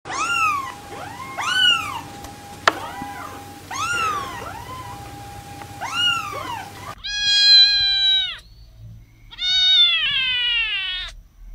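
Several newborn kittens cry in high, reedy meows, each an arched rise and fall, overlapping in a busy chorus over a faint steady hum. Later come longer, flatter, drawn-out meows that hold one pitch before dropping away.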